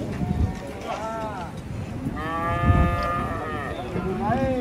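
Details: Cattle being loaded up onto a truck: two long, rich moos, the second sustained for about a second and slightly falling, then a short rising call, over music and low handling noise.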